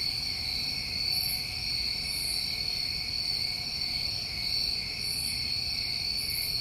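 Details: A chorus of New England summer crickets at night: unbroken high trilling layered with soft, higher pulses recurring about once a second or two.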